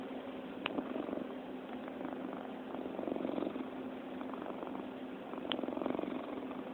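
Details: Cat purring while being petted: a steady, soft, rattling purr throughout, with gentle pulses and two brief clicks.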